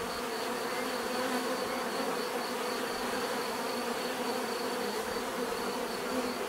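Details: Continuous bee buzzing forms an unbroken, even drone with stacked harmonic bands and no pauses or other clear sounds.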